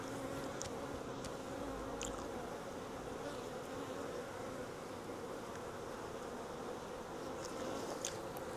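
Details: A captured wild honey bee swarm, taken from where it hung on a tree branch and moved into a 5-frame nuc box, gives a continuous thick humming buzz of massed wings, unbroken and level, with occasional soft ticking knocks.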